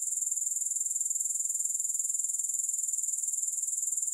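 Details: Steady, shrill grasshopper chorus: a dense high-pitched trill that pulses rapidly and evenly throughout, with no music or other sounds.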